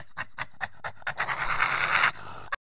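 A honey badger gives quick breathy huffs, then a harsh rasping growl.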